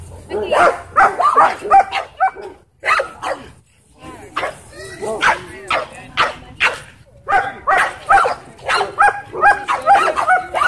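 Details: At a dog park, a Dwarf Staffordshire Terrier squaring up to an American Bully; dense clusters of short, ringing barks and yips come in rapid bursts throughout, with brief pauses and human voices mixed in.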